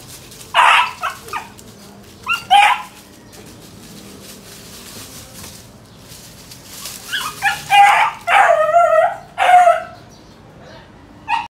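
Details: Beagle puppy named Pablo chasing a rabbit outdoors: short bursts of high yelping barks near the start, then a denser run of excited yips and baying barks toward the end, with quiet gaps between.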